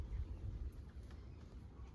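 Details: Homeless tabby cat, a stray on the streets of Istanbul, purring while asking for attention and food; a soft, low, continuous rumble with gentle pulsing swells and quiet outdoor street ambience.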